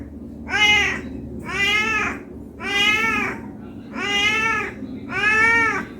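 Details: Cat begging for food out of hunger, meowing continuously: five similar arched, tonal meows repeated roughly every 1.2 seconds, bright and harmonic, with quiet room hum underneath.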